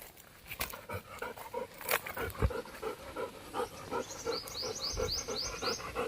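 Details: A Labrador named Golden pants in quick, steady breaths about three times a second while carrying his coconut home outdoors. High chirping birds join near the end, and a person speaks in Marathi around him.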